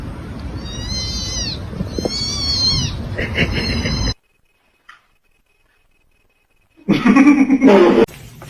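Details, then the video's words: Kitten meowing: a run of high, harmonic, arching meows repeated quickly over the first three seconds, then a stretch of silence and a loud noisy burst near the end, with human talk and laughter around. "kitten meowing call"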